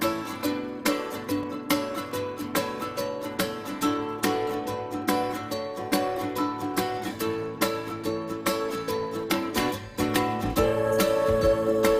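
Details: Bright plucked strings, like a ukulele or guitar, strum a rhythmic tune with no animal voices.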